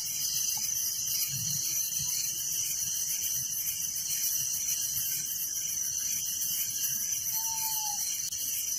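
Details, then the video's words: Crickets chirping at night in a village: a dense, unbroken shrill chorus with a faster pulsing trill beneath it, and one short, faint falling whistle near the end. "Relaxing Night Crickets Sound in Village"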